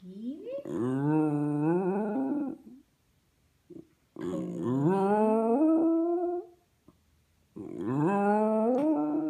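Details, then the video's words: A five-year-old pet Westie named Buddy howls for his buddies indoors: three drawn-out howls, each rising and sliding in pitch over about two seconds and separated by short silences. "Westie howling for his buddies"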